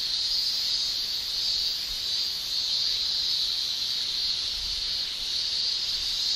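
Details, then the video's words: A constant piercing buzz from male cicadas, sounded with the tymbal, during Japanese summer; the high shrilling stays unbroken from start to finish, with gentle waves in volume. "Japan Summer Cicada Shrilling"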